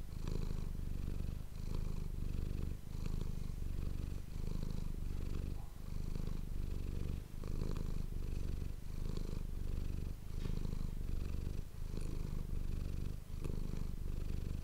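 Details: Domestic cat named Manis purring, recorded close on an ASMR microphone: a steady low rumbling purr that pulses with each breath, roughly every second and a half, with soft breathy swells between.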